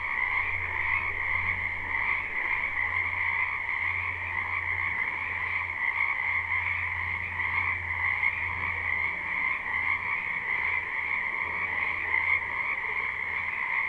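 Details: Spring wetland frogs in a live recording, a crowded chorus of croaks that blends into a continuous pulsing buzz at two pitch levels, with an intermittent low droning hum beneath.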